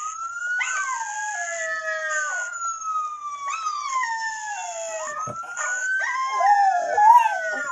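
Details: A Miniature Schnauzer joins in with other schnauzers' howls playing from online videos, several dog voices howling together in long, wavering, gliding tones that slowly fall away.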